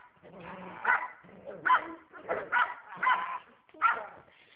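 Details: Pet dog barking fiercely during a training session: a series of short, harsh barks and growly yips, about six bursts spaced unevenly over a few seconds, with faint low murmuring between them.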